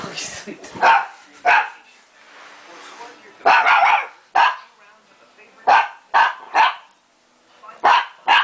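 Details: During a game of tag between Shiba Inu pup Tako and Bobby, a Pekingese, loud excited barks ring out in irregular clusters, roughly one every couple of seconds, with short pauses between bursts.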